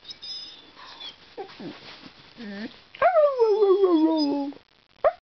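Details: Quiet murmuring whimpers from a talkative pet dog, then one clear sustained howl that glides downward for about a second and a half, ending with a brief yip.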